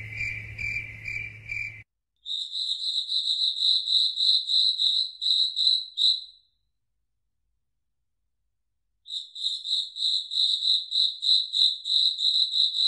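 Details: Crickets chirping at night in a foggy forest, bright high pulsed chirps about three per second, broken by abrupt stretches of complete silence before resuming.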